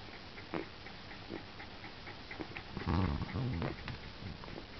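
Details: Two-week-old Cairn Terrier puppies suckling on their mother, with soft wet clicks and low grunting snuffles at an uneven pace.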